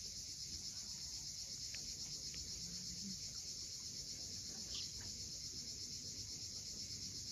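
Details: Cicadas at sunset on the steep coast of Cape Fiolent, Crimea, keep up a continuous, shrill, high-pitched hiss. A low surf-like rumble runs underneath, and a few brief, faint chirps break through near the second and fifth seconds.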